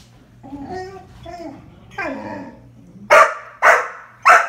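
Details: Young Dalmatian barking at a second Dalmatian during rough play on a couch; soft whiny voicing first, then three loud sharp barks about half a second apart.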